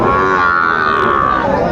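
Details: Sahiwal bull calf at the Aftabganj cattle market in Dinajpur on 1 July 2025 gives a sustained, steady moo lasting under two seconds, harmonic and fairly level in pitch, with market crowd noise beneath.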